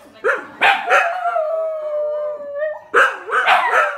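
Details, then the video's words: A male dingo, joined by a small companion, howls for no apparent reason: a long, wavering howl broken by sharp barks and yelps at either end. "Howling Dingo"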